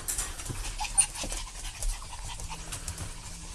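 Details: Excited parent dog and puppy panting: quick, breathy rhythmic puffs, several per second, over soft background rustling.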